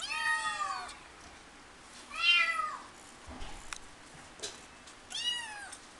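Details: Three bright, harmonic meows from a Persian cat kept at a pet shop in Himeji, Japan. Each meow slides downward and is spaced a couple of seconds apart, with faint indoor clicks between them.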